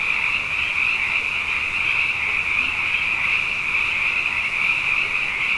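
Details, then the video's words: A steady nocturnal chorus from abundant frogs after two wet years running, with dense overlapping high croaks forming a sustained ringing hum that never pauses. "Frog Songs: Na Mele o nā Paloka"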